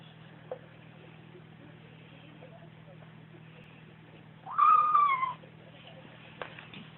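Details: A young Bengal kitten makes a single nasal, mewing 'nom' sound while eating alongside its mother, a short wavering cry lasting under a second, with faint clicks and a steady low electrical hum throughout.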